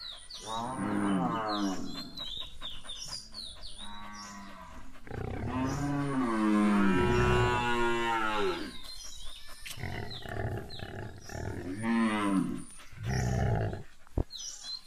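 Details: Indian Gir cattle at milking: several deep moos, including one long, loud, wavering bellow lasting over three seconds, with shorter lowing calls before and after and occasional knocks.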